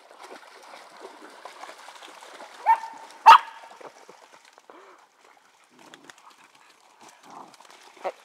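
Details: Dog collecting sticks at a pond lets out two short, sharp barks close together, then a long quiet stretch of faint rustling before one more brief yelp near the end.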